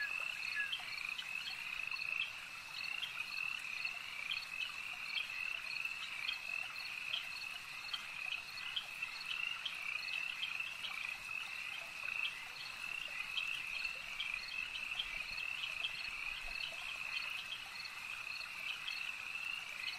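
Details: Frogs calling at a lake: a dense, steady chorus of high, rapidly pulsed notes stacked in two bands, with brief brighter clicks scattered throughout and no other clear sounds.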